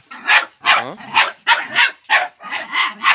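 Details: Five-month-old Jagdterrier facing a wild boar, giving fast, strained yelping barks about every half second, some with whining tonal edges, six to seven in a row.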